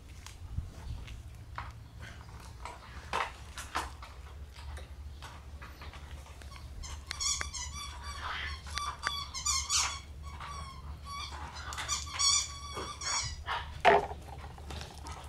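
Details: Female Shiba Inu puppy born 15 July, running off with something in its mouth so it cannot be taken; thin, squeaky whimpers come in bursts through the middle of the clip amid thumps and handling noise.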